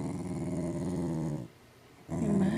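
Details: Jealous dog growling while its owner gives attention to another pet: a low, rumbling, continuous growl, pausing briefly before resuming just as loud.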